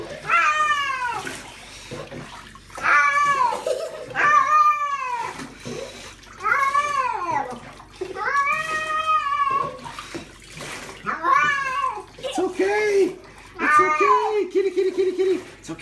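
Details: Female pet cat being bathed indoors, complaining with a long series of loud, arched, harmonic meows and yowls roughly every one to two seconds, while a person repeats reassuring words and bath water sloshes.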